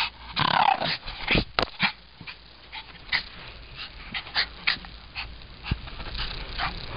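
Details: Madison, a Shih Tzu, fighting back at the camera one evening after running from it: a loud rough growling burst at the start, then a string of shorter snorting, growling bursts every half second or so, with faint human voices.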